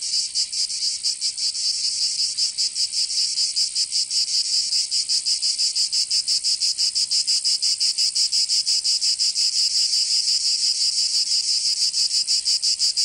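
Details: Southern French cicadas of Provence in summer: a piercing, continuous buzzing song of rapid pulses, high-pitched and dense, holding an even volume with no other sounds.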